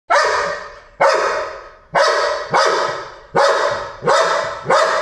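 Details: Dog barking at fish in a pond, seven loud, sharp barks roughly every three quarters of a second, each with a fading echo-like tail.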